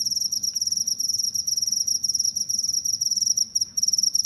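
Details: Rapid cricket chirping, played to keep rats away: dense, high, piercing pulses in short bursts about a second long, with one brief pause, and no other sounds.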